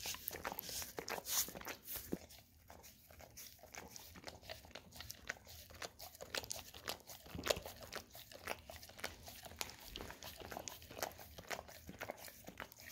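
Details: Golden Retriever dog licking peanut butter off an Orapup tongue cleaning brush, producing bright, crackly scraping and quick tongue smacks that cluster in bursts throughout, heard close up indoors.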